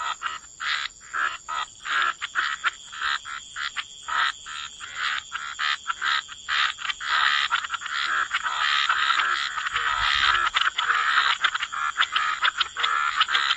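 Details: Wetland frog chorus: short rasping croaks pulse rapidly at first, then merge into a continuous overlapping din, with a constant thin high-pitched drone behind.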